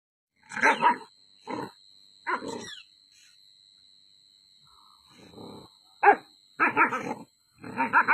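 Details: A Great Dane barks aggressively in reaction, giving deep, gruff barks in short bursts, some running into low growls.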